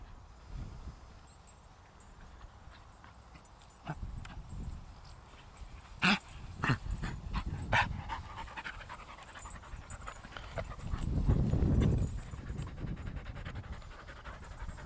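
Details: Ramsey, a young Patterdale/Lakeland cross and still a little shy, pants on his first walk outdoors while meeting the dogs Ellie, Holly and Markus. Quick, breathy, irregular huffs come through with rustling, scattered footsteps and a man's speech.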